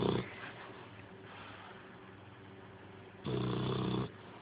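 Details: Domestic dog snoring while asleep: a rough, low, rumbling snore at the start, a long quieter stretch of soft breathing, then a louder buzzing snore lasting nearly a second.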